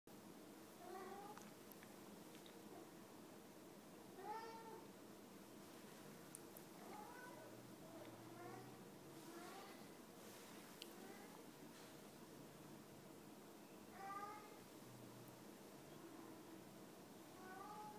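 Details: Male Siberian cat at home, fifteen minutes after first arriving, enjoying a tummy rub and play; soft, short chirping meows with bent, rising-falling tones recur every one to three seconds over a quiet indoor background.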